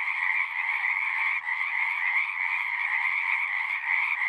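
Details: Many frogs calling together at a horse-pasture pond, recorded on a Zoom: a steady wall of overlapping raspy trills, loud and continuous throughout.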